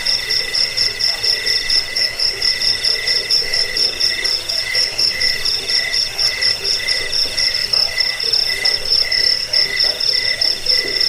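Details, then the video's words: Jangkik, or cricket, chirping meant for driving away rats, sleep and songbird training: continuous piercing high trill, pulsed and shimmering, layered over a fainter lower buzz, unbroken and even throughout. "Suara jangkik pengusir tikus pengantar tidur"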